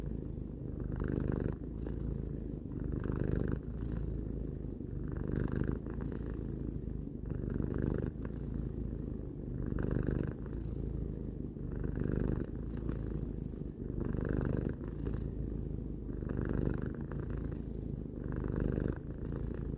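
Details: Tarou, a three-year-old domestic cat, purring steadily indoors: a continuous low rumble with soft swells of breath roughly every two seconds, each inhale and exhale cycle audible, no other sounds present.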